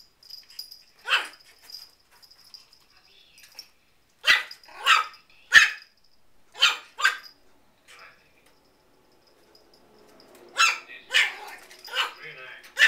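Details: An 8-week-old miniature Schnauzer puppy that has just learned to bark gives short, sharp, high-pitched yaps in loose bursts, a cluster of four or five mid-clip and another run near the end, with quiet pauses between.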